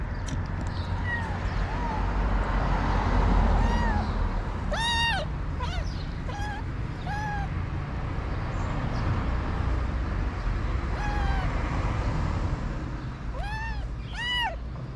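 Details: Street in Morocco where stray calico cats beat a kitten: a series of loud arching meows, some short and clipped, some rising then falling, in scattered bursts including quick pairs, against constant low traffic rumble.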